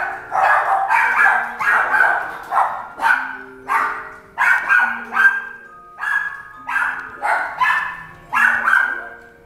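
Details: Silver male Toy Poodle, born 17 October 2017, barking in quick bursts of two to four yaps, repeated steadily with soft background music throughout.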